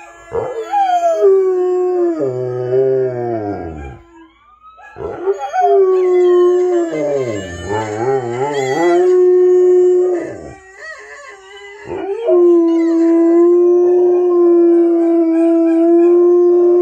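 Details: Mylo, a pet Rottweiler, howls while listening to other dogs howling: long sustained tonal howls, some wavering and breaking into lower falling notes, separated by short pauses, with fainter overlapping howls from the other dogs.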